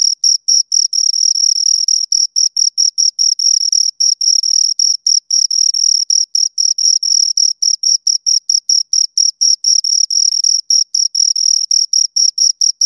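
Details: Two crickets chirping close up, a steady stream of high, pure chirps with an upper overtone, pulses packed so tightly they nearly merge into a continuous trill with only brief gaps; no other sounds.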